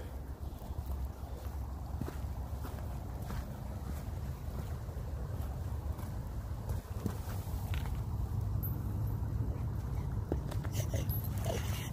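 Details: Steady low rumble of wind buffeting the microphone during a rainstorm hike, with faint scattered taps and no animal voices.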